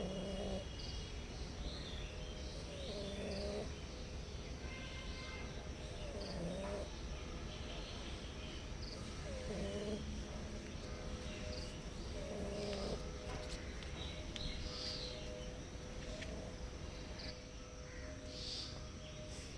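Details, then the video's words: Hungry stray cats that visit a house seeking food and a safe place, meowing softly; short, soft meows recur every few seconds, about five in all, over a steady low rumbling background with faint high chirps. "Hungry Cats Meows Softly Seeking a Safe Place and Food"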